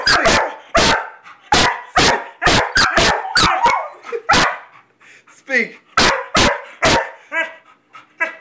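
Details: A Weimaraner and a Vizsla bark on a repeated spoken command to speak; fast runs of sharp, loud barks with short pauses, a few higher whiny yips in between and a person's voice faintly present.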